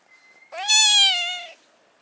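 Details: A stray brown tabby cat on a cat island, which wants to sit on a person's knee, gives a single drawn-out meow, steady in pitch and richly harmonic.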